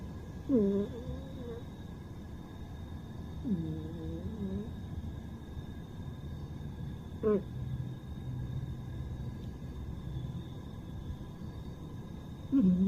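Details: Sleeping pet cat snoring: short curved, whistly nasal snores about every three seconds, each sliding down then leveling off, over a steady low rumble and faint electrical hum.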